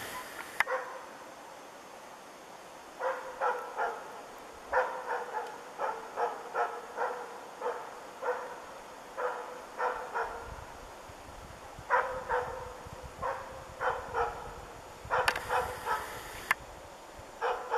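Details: Moose dog Ukonvuoren Diesel during training at one of its first moose encounters, barking steadily in short sharp bursts, often in quick runs of two or three, through most of the recording over a faint outdoor hiss.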